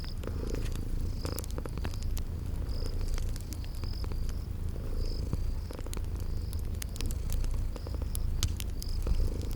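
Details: Sleeping kitties purr in a relaxing spring garden ambience by a crackling fireplace: a steady, deep, low rumbling purr runs throughout, under sharp fire crackles and short, high, chirping insect-like notes repeating every second or so.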